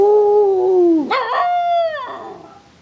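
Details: New puppy, described as an unusually vocal pup, gives a drawn-out tonal whine that slowly falls, then breaks into a sharp, rough yelp and a steady higher whine that fades away. No other sounds are heard.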